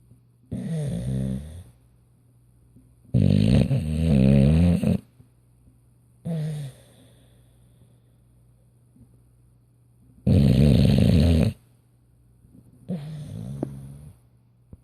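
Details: An English Bulldog snores at night in loud, rumbling bursts with long quiet pauses between breaths.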